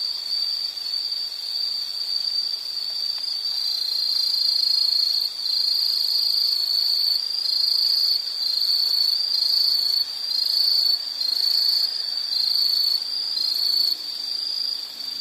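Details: Insects calling in a soothing nature recording meant for background study or sleep; an unbroken shrill trill stays at one high pitch, with gentle pulses in loudness and brief dips every second or two.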